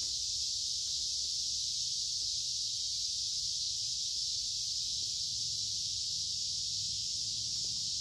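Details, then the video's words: Summer cicadas massed in creekside woods on a humid, warm day, their song a continuous intense high whirring hiss, steady in pitch and loudness, over a quiet low-frequency rumble. "Noisy Cicada Insects Singing in Summer"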